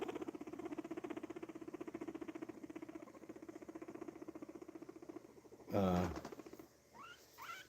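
A guinea pig rumbles in a low, rapid, vibrating purr that pulses steadily for several seconds.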